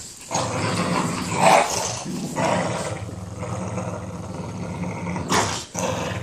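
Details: A Boston Terrier playing tug of war growls in low, rumbling bursts, with brief louder snarls between steady grumbling.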